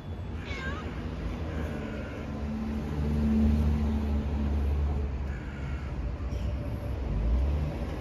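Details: A cat gives a few short, thin meows that rise and fall, one early and fainter ones later, half buried under a steady low rumble of engine or traffic noise.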